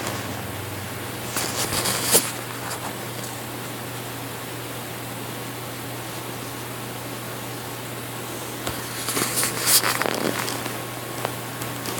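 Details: A constant fan-like hum with a few bursts of handling rustle near the start and end, and no animal voice.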